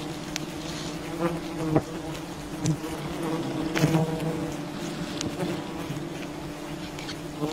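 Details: Wild bee colony humming steadily while honey is taken from it, a thick continuous drone with harmonic stripes, occasional louder passing buzzes and a few knocks.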